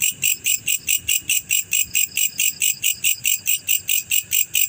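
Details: Male black cricket calling with sharp, high-pitched pulses evenly spaced at a little over three per second, loud and clear over a quiet, faintly rumbling background.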